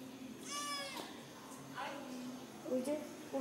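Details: Domestic cat from a landlord's pet cat family, where a strange black cat from outside has the others frightened. One loud, long, harmonic meow is followed by a shorter, softer one, with people's voices around.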